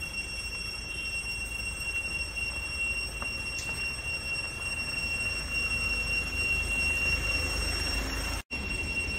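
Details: Cicadas on a farm on 11/11/2021 drone in a loud, steady, high-pitched whine that holds without pause.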